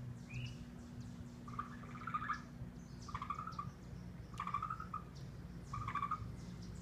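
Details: Raccoons trapped in a container they fell into while eating give short, whimpering, slightly rising cries, repeated about every second and a half.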